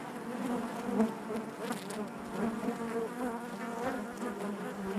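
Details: A colony of honey bees buzzing in the hive, a constant low, slightly wavering drone with faint overtones and gentle swells in loudness.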